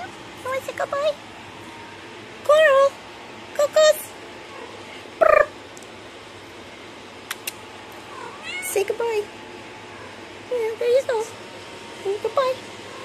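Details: Indoor recording of a pet cat, one of Coral and Opal: repeated high mews, some wavering and bending up and down, in bursts of two or three with short gaps, plus a few sharp clicks and a gentle human voice in between.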